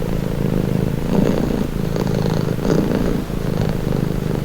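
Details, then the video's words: A pet cat purring steadily, a calming low growl-like rumble pulsing rapidly, breathing cycles audible as gentle rises roughly every second, recorded close with a quiet background. "Purring cat | Calming Relaxing Nature Sound"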